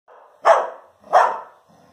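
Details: Two barks from Labrador Retrievers, a mother and her son at play, each bark a loud, harsh burst about 0.7 seconds apart, fading quickly, with quiet room tone between.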